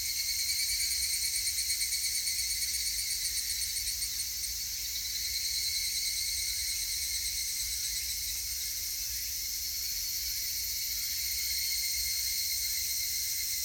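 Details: Higurashi cicada calling on 19 August 2018: a dense, shrill, metallic ringing in several high bands, pulsing rapidly about three times a second and fading slightly midway, with no other clear sounds.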